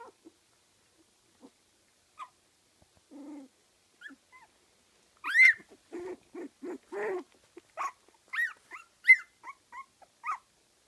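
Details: Litter of 15-day-old Kooikerhondje puppies at a kennel in Sweden, with soft grunts and scattered squeaks building into a busy run of whimpers, short yelps and high squeals overlapping.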